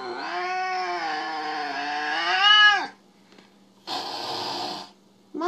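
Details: Domestic cat in a compilation of jealous cats, giving a long, loud, drawn-out meow for nearly three seconds. The pitch holds steady, then swells and drops at the end. After a short pause comes a second, briefer meow, then the start of a third.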